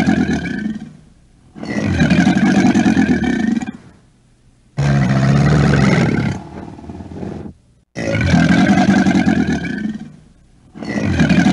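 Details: American alligator roaring: long, deep, rumbling bellows lasting about two to three seconds each, repeated four times with brief gaps, rich in low growling tones.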